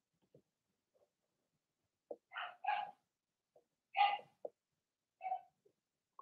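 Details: Blenheim Cavalier King Charles Spaniel puppies from a litter of six (2 female, 4 male) give high, yappy barks in short, uneven bursts.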